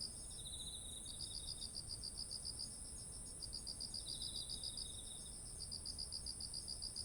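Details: Autumn insects calling beside ripe, heavy-headed rice fields: rapid pulsed chirps repeated in long trains with brief pauses, a softer fast trill from a second insect, and a steady high insect hiss throughout, over faint low background noise.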